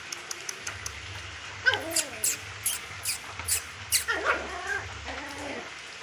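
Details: Lhasa Apso puppies, four males aged 40 days, in Kollam: a run of high, wavering whines and yelps with bending pitch, clustered around the second and fourth seconds, over a low steady hum.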